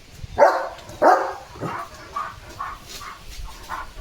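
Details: Leo, a German Shepherd dog, barks loudly while getting soaked in the rain and playing: two strong, sharp barks, then a run of softer, shorter yaps.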